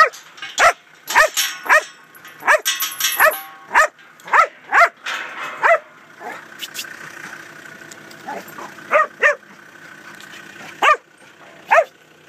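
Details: Huntaway barking while moving cattle through a gateway, a rapid run of loud barks, then a quieter stretch with engine rumble before further spaced single barks.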